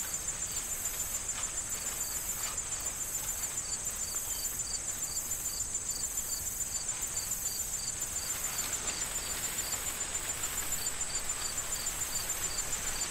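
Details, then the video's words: Autumn corn field with wind and crickets: steady high chirps pulse a little over twice a second beneath rustling corn stalks and gusty broadband wind, a continuous high insect buzz running overhead throughout. "Corn Field Sound of Wind and Crickets"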